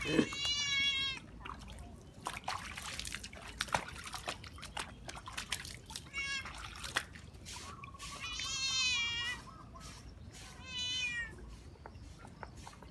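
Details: Cat at play in water: a short meow at the start, then a wavering, rising-and-falling meow and a final shorter one, amid constant splashing, drips and brief human voices.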